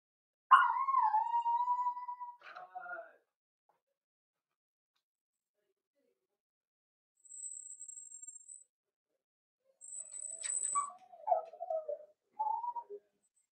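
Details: Cavalier King Charles Spaniel puppies, four weeks old, kept in an indoor pen while being socialized and fed puppy mash; a long steady whine opens, followed after a pause by broken whimpers and short yips, with a thin high electronic tone between them.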